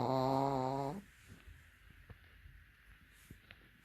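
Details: A Pekingese snoring with its eyes open gives one loud, buzzy snore lasting about a second, then the room falls quiet.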